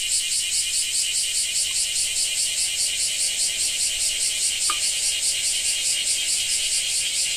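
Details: Japanese cicada chorus: an intense, rasping high whine pulsing rhythmically a few times per second throughout, with one short click midway.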